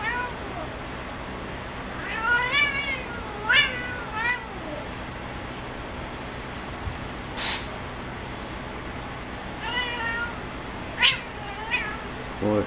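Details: Spazzo, a female cat at play on her perch, makes a string of short wavering meows early on, a pause with a sharp click, then more quick chirpy meows toward the end over low room hum.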